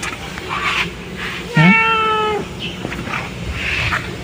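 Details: Domestic cat said to be sick: a single clear, drawn-out meow, slightly rising then held steady for nearly a second, over background music and people talking in Filipino.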